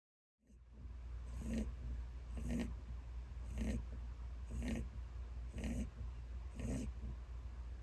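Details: An elderly pet rabbit, ten years old, snoring loudly while sleeping; soft rhythmic snorting breaths repeat about once per second, each a brief low rasp, over a steady low hum.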